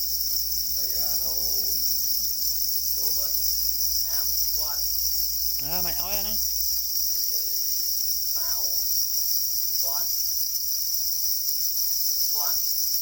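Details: Continuous high-pitched trilling of black crickets said to be angry and guarding eggs, an even ringing drone throughout, with a human voice speaking in short bursts over it.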